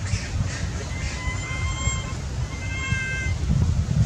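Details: Hungry baby monkey that has lost its mother, crying for milk: two bouts of thin, high, wavering tonal wails with faint overtones, one early and one late, over a constant low rumble of background noise.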